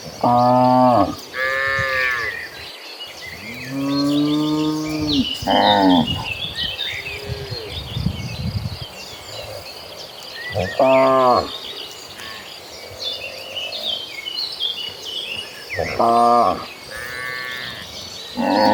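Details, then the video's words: Cattle in a tame herd of tens of thousands being driven along, several long harmonic moos from different animals every few seconds, some hoarse and wavering, with steady bird chirping behind. "the Sound of Mooing Cattle"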